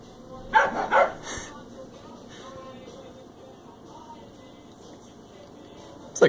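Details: Pet Corgis snapping at a curious bee they are trying to eat; two quick sharp barks half a second apart, then a quiet stretch with soft background music and a man talking, and a final bark at the end.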